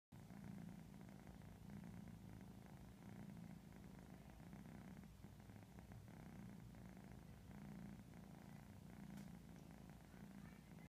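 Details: Purebred Siberian kitten, eleven weeks old, on her first night in a new home, giving a soft, low continuous "triple purr" that rises and falls in gentle pulses over faint background hiss.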